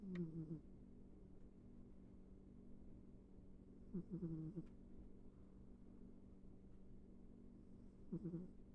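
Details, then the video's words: A sleeping house cat named Ivy snores quietly; three short wheezy breaths, each dipping in pitch, come about every four seconds over a constant low room hum. "Our cat ivy sleeping and snoring"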